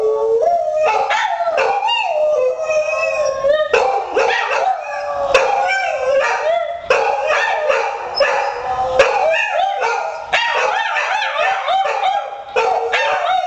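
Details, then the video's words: Pet hound Buddy and poodle Courage respond to a missed phone call ringtone with a chorus of howling; overlapping wavering howls mixed with frequent short barks and yips, continuous and loud. ""one missed call" prank done to my 2 dogs , buddy and courage"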